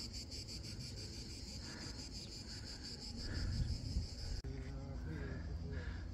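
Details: Cicadas in vineyards of the Aosta Valley, sounding like the south, give a fast pulsing high buzz, rhythmic rasping bursts continuing under a man's voice and low footstep and movement noise.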